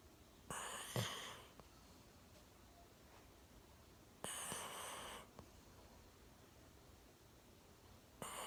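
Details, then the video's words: Sleeping soundly on a sofa with its chin propped on a table, Milo the year-old Golden Retriever snores in slow cycles, a harsh breathy rasp roughly every four seconds separated by quiet breathing. "ゴールデンレトリバー いびきをかいて大爆睡"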